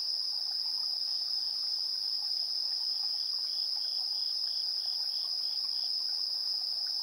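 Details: Evening insect chorus from 3 September 2022, about 7:04 PM, captured on a TASCAM Portacapture X8's internal AB stereo mics: continuous piercing high-pitched trilling plus a softer pulsed chirp repeating several times per second in the middle.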